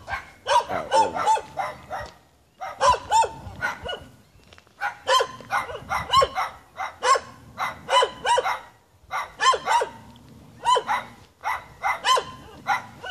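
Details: Several Jamaican dogs in the hills bark at the person filming, apparently having a good time: sharp barks in rapid clusters of three to six, separated by brief pauses, continuing throughout.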